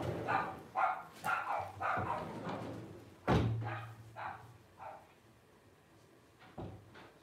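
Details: Blenheim Cavalier King Charles Spaniel puppies at 12 days old, five littermates of Paris and Spike; rapid overlapping whines in the first three seconds, a sharp knock with a low hum, then sparse fading squeaks.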